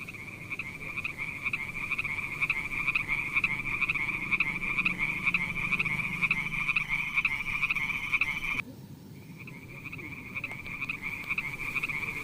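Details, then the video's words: Pond frogs calling in a fast, continuous high ringing chorus of rapid pulses, interrupted by a sudden cut near the end before the calling resumes. "Funny little frog sounds"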